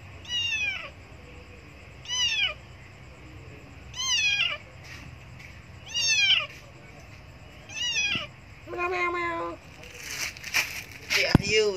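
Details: Hungry abandoned kitten near a Buddhist monastery meowing loudly for milk: a run of six sharp, downward-sliding meows roughly every two seconds, the later ones more broken and mixed with rustling and clattering noise.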